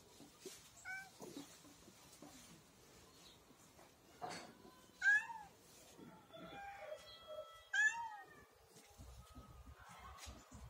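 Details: Hungry domestic cat calling while it waits for lunch: scattered short meows, two sharp rising-falling ones standing out, plus a long level whining note, over a quiet background with some shuffling and a faint voice.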